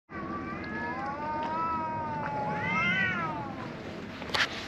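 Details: Black cat rescued after being bullied behind an embankment. It gives long, drawn-out, wavering meows, one sliding slowly down and a second rising then falling, over steady background hum and a brief click near the end.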